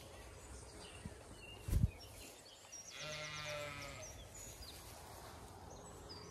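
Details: Zwartbles sheep, ewes with fast-growing lambs on a County Kilkenny farm in Ireland on a hot May day; one quavering bleat of about a second midway, over low rumbling background and a brief thump early on.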